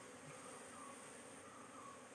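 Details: Colony hum from a honey bee hive during queen-cell inspection, where only one queen cell is kept. The drone is continuous and flat, with no breaks, heard through a soft background hiss.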